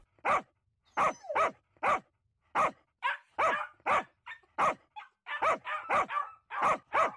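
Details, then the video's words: Two dogs barking at each other in an uneven exchange of loud, sharp barks, roughly two each second, sometimes overlapping as one answers the other. "Dogs barking at each other"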